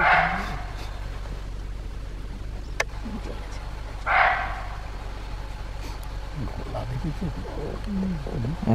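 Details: Barking deer calling during a morning safari in Simlipal Tiger Reserve, Odisha, while a leopard is in sight: two short, harsh barks about four seconds apart, with quiet speech and vehicle rumble in the background.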